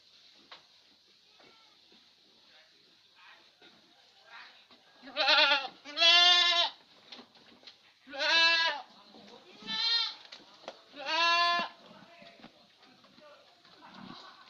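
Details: Little Etawa goat on a farm in Senduro, Lumajang, Indonesia, giving five loud, wavering, harmonic-rich bleats clustered between five and twelve seconds, with quiet gaps between them, over a steady high-pitched hiss and scattered soft clicks.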